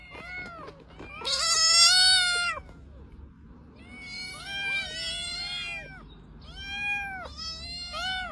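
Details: Domestic cat meowing repeatedly: a loud, strained, drawn-out cry followed by several shorter arched mews in quick groups, with a faint low hum in the background.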